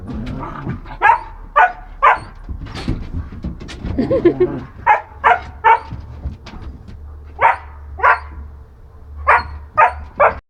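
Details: Jealous German Shepherd mother drives her puppy under a bench with her forehead, wanting the petting for herself. Sharp barks come singly and in quick bursts of two or three, with pauses between, over a low background hum.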